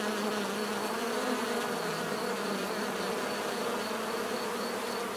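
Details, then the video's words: Continuous natural bee buzzing, a thick droning hum with a slightly wavering lower tone and steady higher whine, relaxing and even throughout. "bees therapy relaxing natural buzzing sound"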